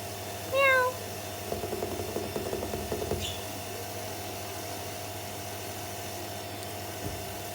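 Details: A domestic cat, watched from a window along with her kitten, gives a single short, clear meow near the start that bends slightly upward, followed by a low rumbling noise and a quiet background.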